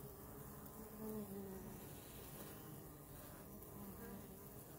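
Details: Honey bees filmed close up. A low, steady droning buzz runs throughout, with a slightly louder, fuller swell around the first second. No other clear sounds.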